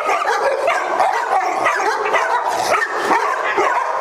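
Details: Multiple dogs running with the zoomies together at a Las Vegas day care, October 5, 2009; overlapping sharp barks and higher yips pile up in a constant clamor for the whole stretch.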